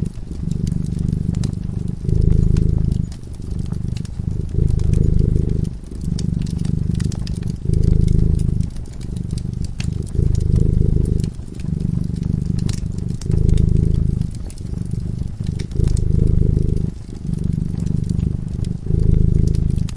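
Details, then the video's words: Cat sleeping peacefully in front of a cozy fireplace, purring steadily: a deep, low rumble that swells and fades in alternating breaths roughly every second, with sharp crackles and pops from the burning fire throughout. "Purring cat"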